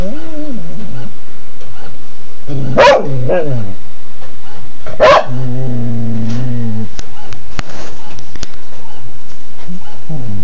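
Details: Domestic dog barking at a printer indoors: two sharp, loud barks about two seconds apart, then lower whining and clicks, with a brief woman's voice afterward.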